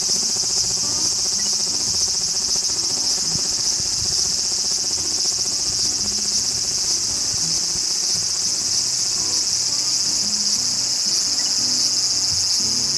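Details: Large brown cicada, Graptopsaltria nigrofuscata, whose name may come from a cry like hot oil spattering; a dense, continuous sizzling drone stays level from start to finish, with soft low tones in the background.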